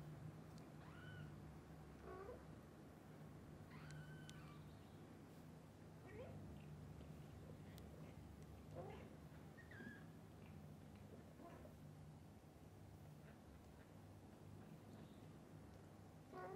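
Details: A litter of kittens, freshly awake, calls to the mother cat to play outdoors: about a dozen soft, high mews repeated every second or so, over a heavy low rumble.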